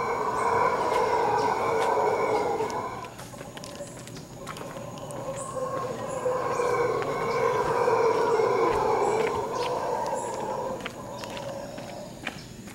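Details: Howler monkeys in Quepos, Costa Rica, giving eerie, roaring howls: a deep, rough drone sustained for about three seconds, a short lull, then a second long swelling bout, with faint insect ticking behind.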